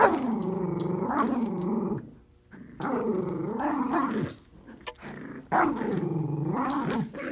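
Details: Puppy and adult Miniature Schnauzer tugging at a toy; three long rumbling growls, each near two seconds and gently wavering in pitch, separated by brief pauses.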